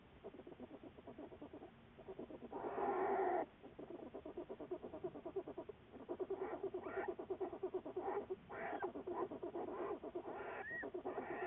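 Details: American black bear from a research study, February 10, 2014. Continuous rapid pulsing sound, about three pulses per second, with a louder burst early on and a short rising squeak near the end.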